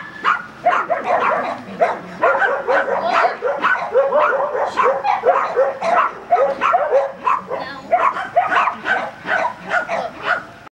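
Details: Excited, continuous barking from a Border Collie during agility training at Vale do Sol, Guapimirim, dense rapid barks running almost unbroken for ten seconds.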